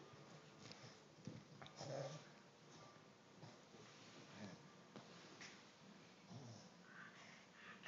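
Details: A 3-month-old English bulldog puppy named Hópihe snuffles and wheezes with soft, raspy snorts in a small room.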